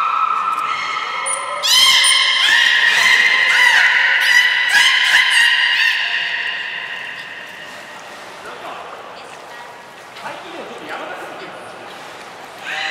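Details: Captive belugas Nana and Niko in training at Port of Nagoya Public Aquarium, 7 October 2018: a rapid string of bright harmonic squeals broken by sharp clicking pulses for about six seconds, then quieter hall ambience with voices.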